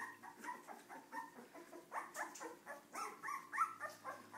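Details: Several Cardi puppies acting up together, giving rapid, shrill yips about four per second, some rising and bending in pitch, overlapping one another against a faint constant hum.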